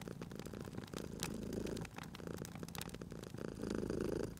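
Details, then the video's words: Cat purring beside a crackling fireplace: a low, steady rumbling purr that swells and fades in slow cycles, with sharp pops and snaps of burning fire scattered throughout. "Cute Purring Cat at a Crackling Fireplace"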